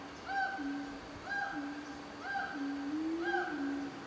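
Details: Siamang gibbons calling in the Sumatran jungle, North Sumatra, Indonesia: clear hooting notes repeated about every second and a quarter over a lower, sliding tone.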